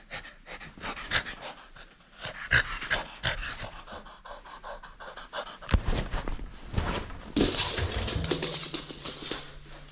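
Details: French Bulldog at play, refusing to give up its toy, panting and snorting in quick irregular breathy bursts indoors; a steady low hum enters near the end.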